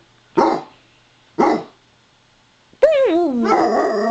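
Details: Daisy, a Basset Hound, saying hi with her own "Wookie Chuckle": two short, rough huffs a second apart, then a loud, wavering, moaning howl whose pitch bends up and down before turning harsher.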